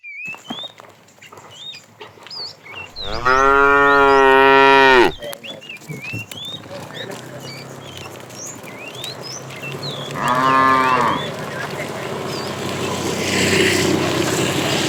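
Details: Tame cow calling the female during afternoon herding: one loud moo of about two seconds, a softer shorter moo some six seconds later, birds chirping around them and rising rustling background noise.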